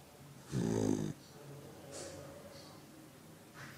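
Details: A sleeping puppy gives a single deep, rasping snore lasting about half a second. Faint soft breathing noises follow.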